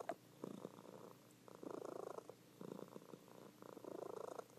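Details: A sleeping domestic cat purrs in a steady, rumbling rhythm, described as loud, with pauses between breaths; Cat.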